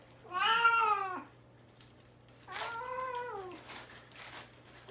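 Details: Caged indoors and fasting without food or water before his neutering, the male cat Mamedaifuku gives two long wailing meows, each rising then falling over about a second, the first louder, followed by soft rustling.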